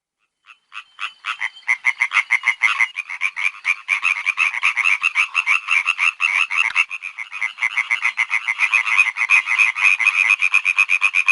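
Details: Frogs croaking in a dense chorus of short, rapid pulsed notes, several per second, with a mid-pitched rasp that builds from a few scattered croaks into a steady overlapping din.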